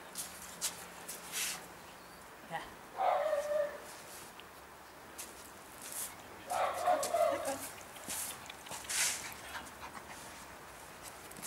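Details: Lhasa Apso puppies bred in Schleswig-Holstein, Germany, give two bursts of high, yelping whimpers about four seconds apart, with soft human voices and household noise around them.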